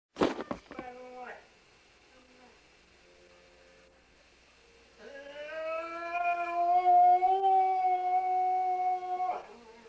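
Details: Sam, a Welsh Springer Spaniel, singing: a few short yelps at the start, a quiet pause with faint steady tones, then one long sustained howl held at a steady pitch for about four seconds before it breaks off.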